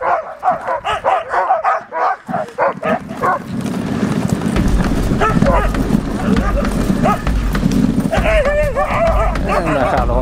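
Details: Huskies pulling a dog sled at Riisitunturi, Finland, on a 30 km day tour near the Arctic Circle in March 2013; rapid, repeated barks over the first three seconds, then steady rumbling sled and wind noise with a brief voice-like call near the end.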